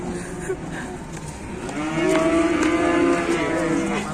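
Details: Bulls fighting and raging in Indonesia, a loud, sustained moo swelling up after a quieter start and lasting about two seconds, rich in harmonics, with faint clicks and background murmur.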